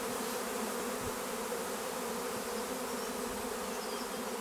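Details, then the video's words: Massed honeybees swarming at Longué-Jumelles make a thick, unbroken humming drone. A few soft thuds punctuate it, with no clear birdsong. "Essaim d'abeilles"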